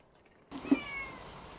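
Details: Domestic cat, one kept babyish for three years by overprotection, gives a single meow: an abrupt harmonic cry with a brief louder peak near its start, then a thin, slowly falling tone trailing off over about a second.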